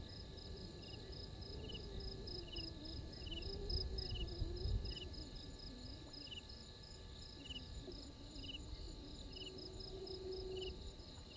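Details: Insects chirping at Gowrie dam waterhole on Djuma Game Reserve, Sabi Sand Wildtuin, South Africa: short pulsed high chirps repeated steadily around three per second, with a continuous higher trill and faint low rumbling background noise.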